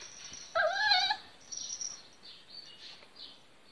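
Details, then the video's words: A Miniature Pinscher puppy barking for the first time gives a single thin, high-pitched yip, squeaky and slightly wavering. "Little Miniature Pinscher Barking For First Time"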